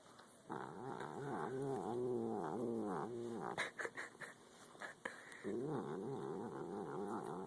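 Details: Cat eating and angry keeps up a steady, heavily undulating low growl, rising and falling rapidly in pitch, briefly interrupted by chewing clicks before resuming.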